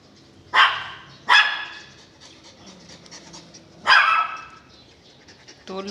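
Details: Belgian Malinois Weapon barking loudly three times, two barks close together, then a pause before the third, with a man's voice briefly starting at the end.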